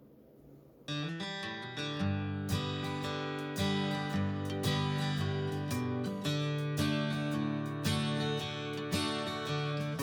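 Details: Strummed acoustic guitar music starts after a second of near silence and plays steadily, with no animal voice heard.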